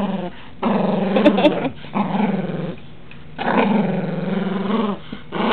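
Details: Dog growling while playing roughly and noisily with toys indoors: long, low rumbling growls lasting about a second each, with short pauses between, in a small room.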